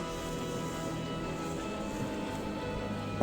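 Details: Steady musical tones and a low drone play throughout, with no animal sound.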